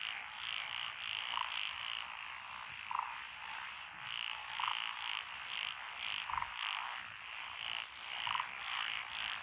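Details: Mixed frog chorus in lotus paddies along a country road, Echizen, Fukui, recorded 12 June 2021. Rapid runs of high rattling croaks come in clusters, with lower short clucks every second or so under a constant trilling backdrop.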